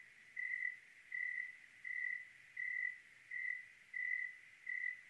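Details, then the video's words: Clear night in Oregon with a cricket chirping: a pure, single-pitched trill pulsing at a regular pace, seven bursts in five seconds, with little else in the faint background. "Oregon clear night with cricket sounds"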